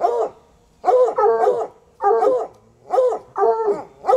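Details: Two untrained coonhounds, Sunny and Hazard, still going about three hours on: loud, ringing bays with bright harmonics, each dropping slightly in pitch, coming in uneven bursts about every second, separated by short quiet gaps.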